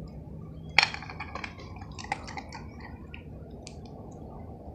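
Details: Soft low background hum broken by a few sharp clicks, taps and brief rustles; no animal voice is heard.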